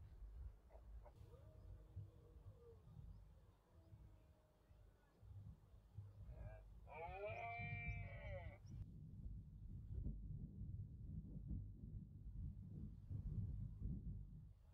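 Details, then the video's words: Rutting red deer in the Cantabrian Mountains, autumn 2023: a faint, drawn-out harmonic moan early on, then one loud arched bellow lasting about two seconds, rising and falling in pitch, with constant low wind noise throughout. "Berrea del ciervo en la cordillera cantábrica"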